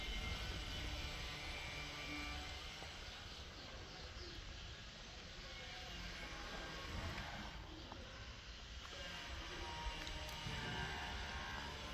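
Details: Steady broadband engine roar, like a passing aircraft or heavy traffic, fills the whole recording, with no animal voice.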